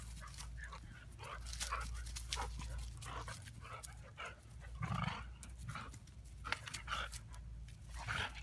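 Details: Neighborhood dog that visits regularly, lazily play-fighting with Lily, who curls her neck up; soft breathy panting bursts and scuffling rustles throughout, with a short low rumble near the middle and faint background noise.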